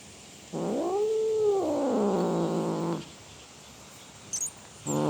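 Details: Cat roaring with one long, arched wail that sweeps up and then slowly sinks over more than two seconds. A few faint clicks follow before another call begins at the end.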